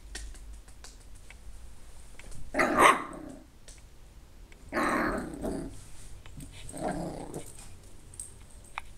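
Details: Zeta, a Yorkshire Terrier puppy indoors, stuck at the top of big stairs while her sister tries to coax her down, growls in frustration: three short rough bursts a couple of seconds apart, with a person softly calling her.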